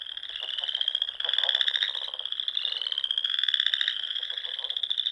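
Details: Evening spring chorus of frogs from the ponds of Nebraska's Sandhills dunes; dense high trilling continues throughout while coarser pulsing bursts swell in and out at intervals of about two seconds.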